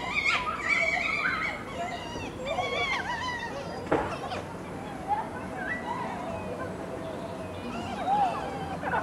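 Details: Foxes lying in the sun keep up a busy stream of squeaky, yelping and whining calls that rise and fall in pitch, with occasional sharp clicks. Their basking noises are said to equal their mating sounds.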